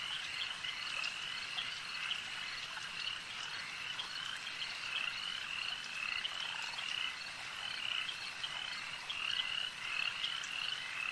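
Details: Many frogs calling at a lake make a steady, high-pitched trilling drone, with bright whistled notes growing stronger toward the end of the clip.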